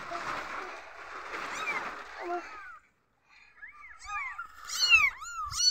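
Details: Newborn kittens crying when they feel insecure: a first stretch of rough, noisy mewing and rustle, a brief silence, then clear high, rapidly repeated squeaky mews.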